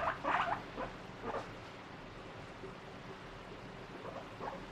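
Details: Pet guinea pig eating a strawberry, its fruit hairs prickly so it struggles to eat it; a few short squeaky chirps near the start, then quiet with faint scattered squeaks.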